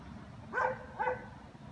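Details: Two sharp barks from German Shepherds about half a second apart, each loud and harsh with a quick fall, against faint steady low background noise.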